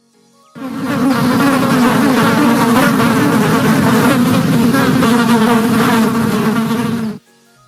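A bee's steady, low droning buzz holds for about six seconds without a break.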